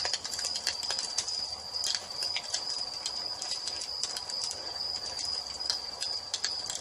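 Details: Crickets chirp at dusk in an evening nature ambience beside a fireplace: a steady, high, shimmering trill runs unbroken through the whole stretch, overlaid by sharp pops and crackles from burning logs.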